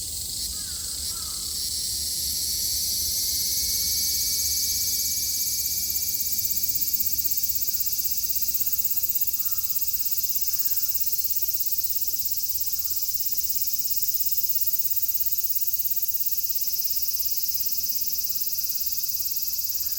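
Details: Cicadas in Japan in summer 2022: a dense, steady, hissing buzz fills the air without a break for the whole stretch, with a few soft short calls faintly underneath.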